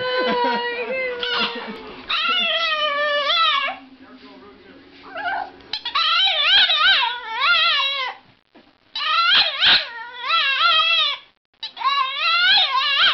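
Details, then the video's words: Puppies giving high, wavering yips and short howling whines, each rising and falling in pitch, in several bursts with pauses between. Human voices are heard faintly at the start. "Preciosos cachorros ladrando"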